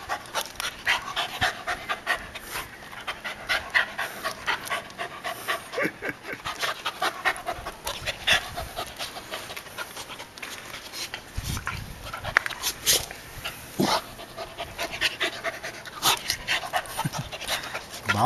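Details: Female dog of unknown breed in a yard on Guam, meeting a coconut crab: rapid rhythmic panting, short breaths in quick succession throughout, with rustling and handling noise.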